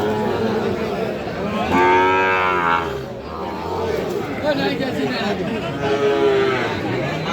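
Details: At Aftabganj cattle market, Bangladesh, on 6 August 2025, among Sahiwal bull calves for sale: two separate low, harmonic moos, the first long and full, a shorter one later, amid steady crowd talk and men's voices.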